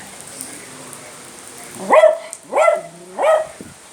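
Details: A Beagle, about 12.5 kg, barks at the rain, giving three quick, rising, slightly howling barks over a soft background hiss.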